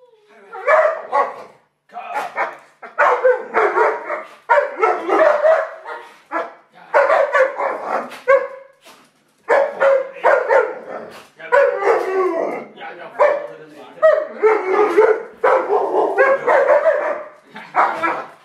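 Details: Two Alaskan Malamutes give drawn-out, rising and falling woo-like vocalizations in quick, repeated bursts while being fed.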